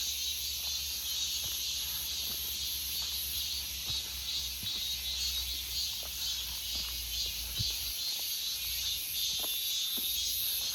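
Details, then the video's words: August forest full of cicadas: a continuous high, sizzling drone that swells and eases slightly in a faint pulsing rhythm, with scattered soft ticks and clicks in the background. "August Forest Full of Cicada Sounds 매미 소리 가득한 8월의 숲"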